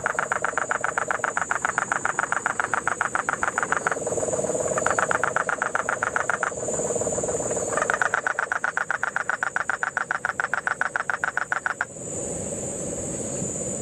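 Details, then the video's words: Puerto Rican crested toad in Puerto Rico's Guánica Dry Forest amid September 2007 rains, giving bursts of fast repeated pulses that alternate with a lower, smoother trill from a background cane toad, over a continuous shrill insect drone. "Sapo Concho (Peltophryne lemur)"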